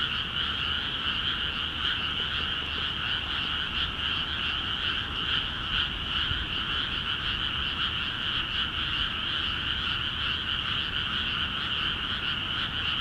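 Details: Chorus of many frogs in rice fields in Akiha Ward, newly flooded; an unbroken wall of rapid, pulsing croaks layered in two pitch bands, steady in loudness for the whole stretch, with faint low background hum.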